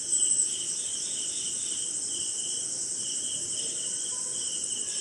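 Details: On a rainy night somewhere in India, crickets keep up a loud unbroken shrill buzz, layered with a lower, stuttering trill in short phrases; soft rain patter fills the background.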